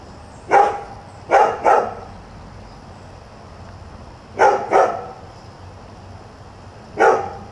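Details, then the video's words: Dog, newly arrived at a new house, barking at about 7 in the morning: sharp single and paired barks in three bursts, the last a lone bark, with long quiet gaps between and steady faint background hum. "Nuisance barking dog"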